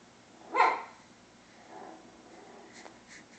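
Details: A puppy directed at a cow lets out one sharp, loud bark, followed a second later by a softer, muffled yap, with low background hiss throughout.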